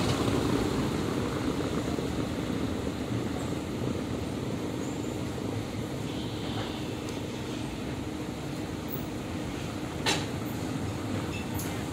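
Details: Steady traffic rumble fills the air, with a faint hum and no animal calls. A brief click sounds near the end over the continuous road noise.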